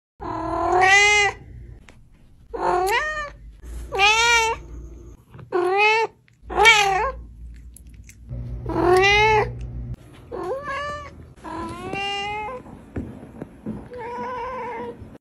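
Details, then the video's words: A pet cat indoors giving a series of about nine drawn-out meows, each rising then falling, with pauses of roughly a second between them; the last is softer and lower. "meow collection!"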